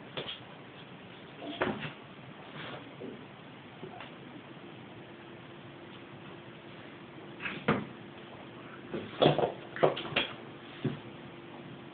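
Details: Scattered knocks and bumps, like a basket or cupboard being jostled, over a low indoor hum. No clear animal voice stands out.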